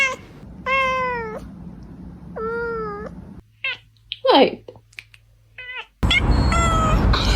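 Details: Two clear, evenly pitched meows from a brown kitten, then short, clipped mews and a sudden burst of noisy sound, with faint music in the background.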